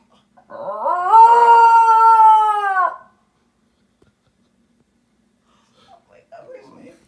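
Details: A Basenji yodels at a fellow Basenji on TV, a long, rising then sustained yodel that falls away at the end.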